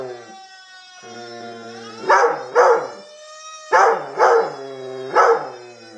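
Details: A mixed-breed dog, Black and Tan Coonhound crossed with Rottweiler, sings with a siren. Five harsh, strained howl bursts, two close pairs and a single, rise over a continuous sliding siren wail.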